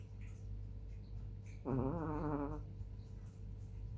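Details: Sleeping black chihuahua Hani, a female, recorded 18 July 2021 at 21:07, gives one drawn-out, reedy nasal snore of nearly a second, wavering slightly in pitch, against a constant low hum.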